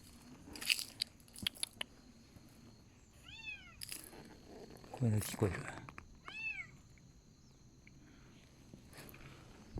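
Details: Abandoned stray kitten crying, heard while touring by motorbike: two clear, rising-then-falling meows a few seconds apart, mixed with handling clatter, rustling and a brief human voice.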